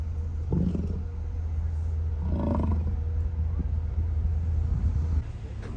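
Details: Evening recording of American bison at Hayden Valley along Grand Loop Road, Yellowstone, Wyoming, August 10, 2023, made from a car; one rough, throaty bellow rises midway above a steady low vehicle drone.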